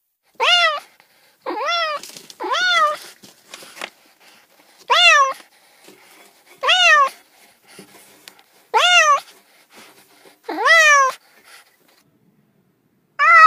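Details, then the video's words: Domestic cats meowing, with a run of about eight clear, tonal meows, each rising then falling in a smooth arc, spaced one to two seconds apart with near-silent gaps between them. "30 minutes of Cats' Meow"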